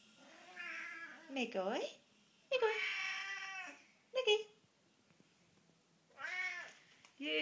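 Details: Greedy Siamese and Havana cats calling for food at feeding time: several long, strained meows and yowls with falling ends, separated by short pauses, a person speaking softly over them indoors.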